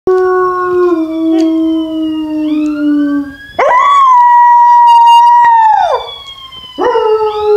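An American Foxhound puppy howls in long, sustained, slowly falling tones.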